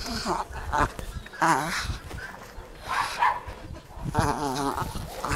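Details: Taka, a Jagdterrier, gives several short, high, whining yelps with strong harmonics, some wavering in pitch, spaced about a second apart over a low rumbling background.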